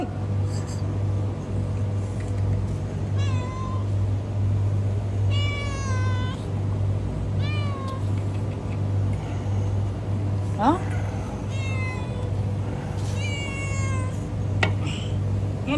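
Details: Homeless cat on the road meowing repeatedly, drawn-out wavering meows spaced a few seconds apart over a steady low engine hum, with one sharp rising squeal near the end.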